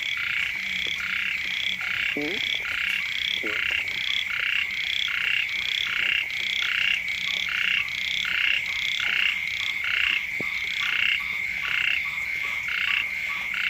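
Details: Many frogs croaking beside a house in the first rains. Overlapping grating pulses come in quick, uneven succession over a constant high-pitched whine, with a few faint clicks underneath.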